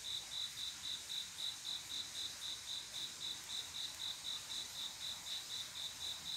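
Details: Male cricket singing to call a female on a peaceful summer night, Korea; clear, high, evenly repeated chirps at about four per second, soft insect chorus behind.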